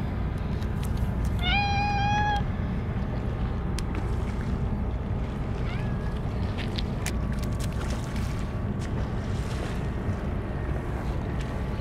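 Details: Stray cats gathered for a feeding of churu treats; one clear, slightly rising meow lasting about a second, with a fainter second cry later, over a steady low rumble of background noise.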